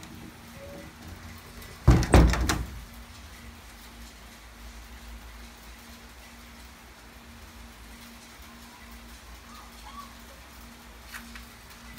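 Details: A loud sliding-door rumble near two seconds, then a steady low indoor hum with faint background noise.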